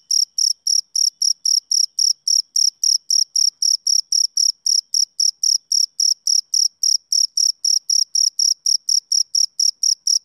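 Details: Male cricket giving a run of short, bright, high chirps, close to four per second and fairly even, about forty in ten seconds. The background is otherwise silent.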